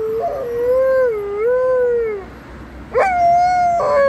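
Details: Alaskan Malamute howling alongside an ambulance: a long wavering tone that rises, dips and swells over two seconds, then a sudden higher howl held steady to the end.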